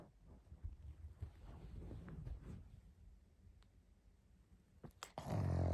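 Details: Sleeping pug snoring: low, rumbling, growl-like snores pulse irregularly several times per second, fading midway, then a brief louder burst of broadband noise at the end.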